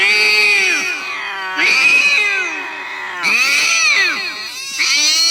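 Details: Domestic cat from a funny cats compilation, meowing in repeated arched, harmonic-rich calls about every one and a half seconds, each starting high and bending downward, with a bright upper edge.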